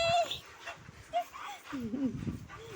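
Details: Mischievous pet Labrador Retriever at play, giving short high whining yips, some sliding down in pitch, among a woman's affectionate Tamil speech urging it to jump.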